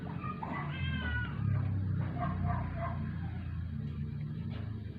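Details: Sick indoor rescue cat, formerly a stray, near death after twelve days without eating; one quavering meow at the start, then low rumbling room noise and faint music.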